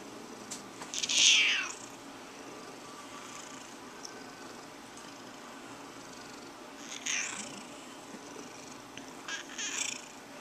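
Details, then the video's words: Tiger, a female house cat, objecting to having her back scratched: a loud harsh descending wail early on, then weaker rasping cries around the middle and again near the end. "Cat Annoyed"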